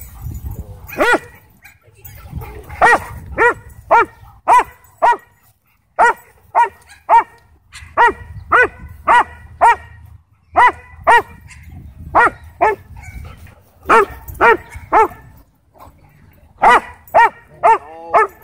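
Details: Belgian Malinois police K-9 belonging to a Texas county sheriff, aggressive at a dog park; harsh repeated barks in rapid bursts separated by short pauses, with low background rumble and a few whimpering notes near the end.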